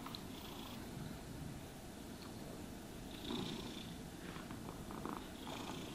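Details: Cat being brushed and groomed, purring low and steadily under intermittent soft scratching brush strokes.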